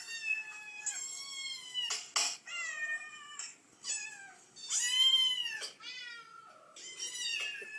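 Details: A mother cat, recorded indoors while reacting to kitten meows, gives loud drawn-out meows that arch up then slide down, mixed with brief clicks and rustles, in a steady back-and-forth run.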